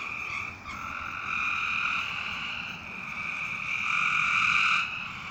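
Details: Frogs calling in darkness with an almost unbroken buzzing trill that swells and fades over several seconds, two voices overlapping near the end.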